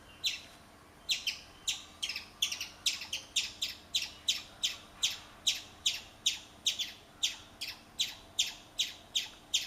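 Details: A chipmunk gives sharp, high chips, repeated steadily about twice a second, while urinating.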